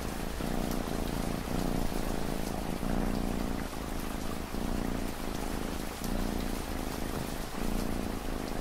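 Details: Domestic cat purring steadily under constant rainfall, the low rumbling purr rising and falling in breath-paced pulses about once every second and a half, mixed with the hiss and patter of rain.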